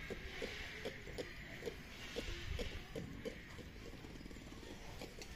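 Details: Ring-tailed lemur held at Tierpark Ströhen, giving a quick series of short, low tonal pips, roughly two to three per second, that stop after about three and a half seconds, over a steady background hum.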